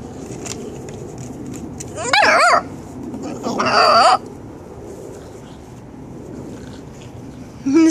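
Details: Hershey, a nine-week-old Cardigan Welsh Corgi puppy, playing around and letting out two high, wavering, whiny yelps about a second apart, with people talking and laughing nearby.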